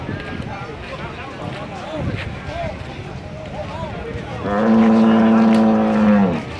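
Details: Simmental cattle, a prized bull in Indonesia, gives one long, loud, steady moo near the end after a stretch of background noise and voices.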